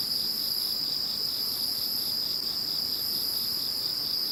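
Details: After Typhoon No. 21 moved away, many insects keep up a continuous shrill chorus; a constant high ringing tone with faint pulsing beneath and a softer wavering layer above, no pauses.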